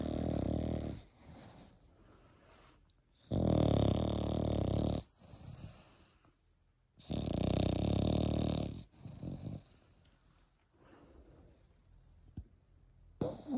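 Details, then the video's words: Snoring of an eight-month-old French Bulldog puppy indoors: several long, low, rattling snores every few seconds with softer wheezy breaths in between. "8 months old Frenchie |Snoring"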